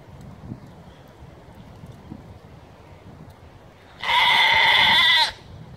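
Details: Mother goat in a herd, one with a notably abrasive voice, yelling for her kids: after quiet background rustling, a single loud, harsh, buzzy bleat lasting over a second with rich harmonics and a slightly wavering pitch.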